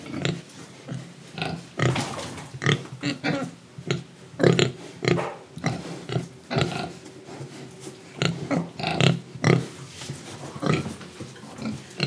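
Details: Eating pig in Indonesia: dense run of loud snorting breaths and wet chewing bursts, rapid and uneven, with a low droning hum underneath.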